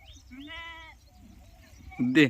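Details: Young goat on a farm, given food when milk runs short; one steady, nasal bleat of about half a second, followed by a brief louder cry and human speech.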